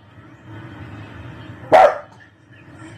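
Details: German shepherd. A single sharp bark from a German shepherd rings out, sudden and full-throated, lasting about a quarter second. Before and after it, only a faint low murmur of background noise remains.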